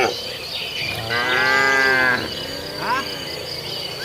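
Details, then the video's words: Tame cattle herd roaming a field on the way to the barn, eating grass: one long, drawn-out moo lasting about a second, then a shorter rising moo, over a steady chorus of crickets. "Suara Sapi Makan Rumput"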